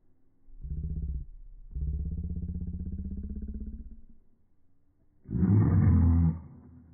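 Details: Samoyed named Berkley, unhappy as his owner says bye bye, giving low drawn-out grumbling vocalizations in two stretches, then one louder, harsh bark-like burst near the end; a person's voice follows.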